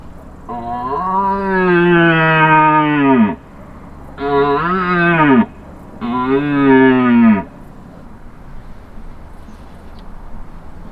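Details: Wild red deer stag roaring during the 2023 rut, about 200 metres away with a herd of hinds, heard on a hunt: three long, deep, harmonic roars, the first falling in pitch over about three seconds, then two shorter bellows, amid faint background hiss.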